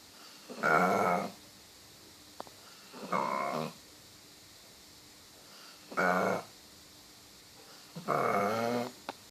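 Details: Sleeping dog snoring loudly, four long, rough, rasping snores that sound like a cow, roughly one every two and a half seconds, with near silence between them.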